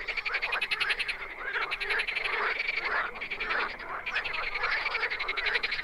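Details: Frogs in the wild call almost without pause, a loud mass of fast rattling croak pulses with a brief lull near the middle and a continuous high tone beneath.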